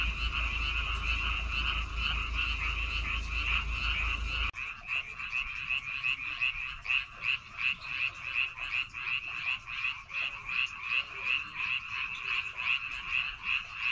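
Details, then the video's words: Frog chorus from rice paddies on Baengnyeongdo Island, Korea: many overlapping croaks forming a steady trill, pulsing roughly two to three times a second; low rumble in the first seconds, then cleaner calling. "백령도 논에서 우는 개구리 울음소리"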